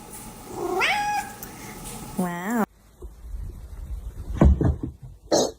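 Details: Domestic cat in a funny pet compilation giving two meows, the first sliding upward, the second a short harmonic-rich wail, followed by background noise, voices and clattering.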